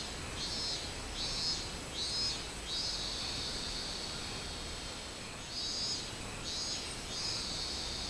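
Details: Minmin cicada singing on 24 July 2016, in summer: high, buzzy pulsed phrases repeated in bursts over the first three seconds, a pause, then another run of phrases, over a steady hiss of background noise.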